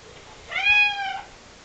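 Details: Hungry male cat, impatient while waiting for his food, gives one clear, loud meow of under a second, rising slightly then holding steady before trailing off, over faint room noise.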